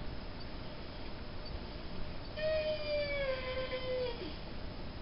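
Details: Star, a Mastiff and Great Dane cross dog, gives a single drawn-out whine lasting nearly two seconds, held fairly level then sliding slightly downward at the end, against a constant low background hum.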